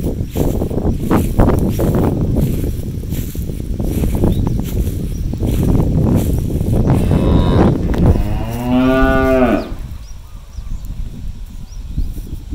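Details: A cow on a farm, one of a herd released onto an empty rice field to graze and look for food, gives a loud, drawn-out moo over low rumbling farm noise.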